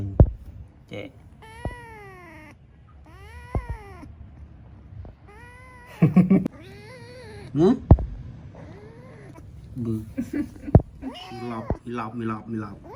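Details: A playful kitten gives a series of drawn-out, arched meows, several spaced a couple of seconds apart, with a woman talking in Khmer and sharp knocks and handling noises in between.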